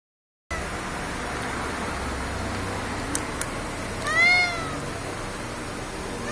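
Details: Stray cat in a convenience-store parking lot at night, crying as if asking for something: one short harmonic meow near the four-second mark over a steady background hum, with two faint clicks just before.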